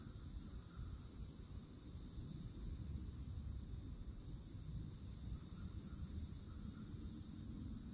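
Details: Summer cicada chorus at a Florida forest edge beneath towering oaks: a continuous, even, high-pitched drone that never breaks, with faint brief tonal notes drifting in and a low background rumble.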